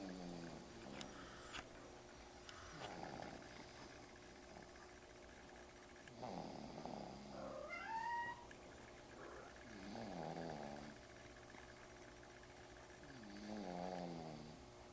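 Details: A cat snoring, with rough, buzzy breathing sounds that rise and fall roughly every three to four seconds, plus a brief rising whistled tone midway through.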